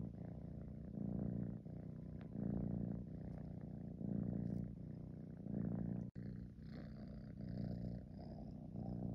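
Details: Tabby kitten purring on a fleece throw, its head tucked into the throw: a low, rumbling, continuous purr that swells and fades in long breath cycles, with louder phases about every one and a half seconds, indoors in a quiet room.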